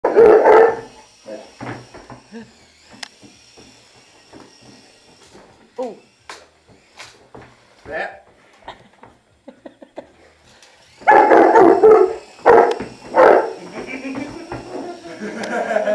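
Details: Saint Bernard puppy playing with a toy helicopter indoors, giving a few loud barks at the start and again near the end, with clicks and scattered toy noises between and a person talking.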